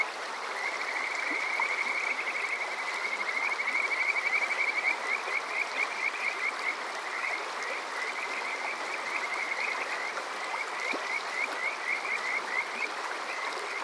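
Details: Kajika frog chorus at Water Park Shirayama, Yokoze, Chichibu, Saitama, Japan, on a summer night, TASCAM DR-05X recording: long trilling runs of rapid rising whistled notes, roughly four a second, steady over rushing stream water.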